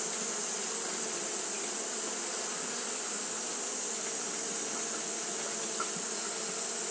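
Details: Japanese honey bees fanning nonstop on a hot day: a steady, even droning hum with low layered tones and no breaks, over a constant high-pitched hiss.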